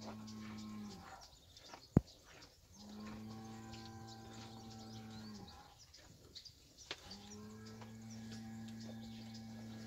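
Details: Lowing from fighting bulls and young bulls: three long, flat, deep moos of two to three seconds each with clear harmonics, separated by short pauses, plus a sharp click near the second second.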